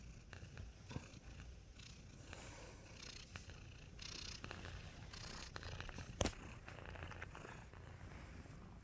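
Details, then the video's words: Continuous low purring from Nacho, a cone-wearing cat just awake from a nap, an even rumble with soft breathy pulses, broken by scattered rustles and one sharp click near the end. "The purr is greater than the cone"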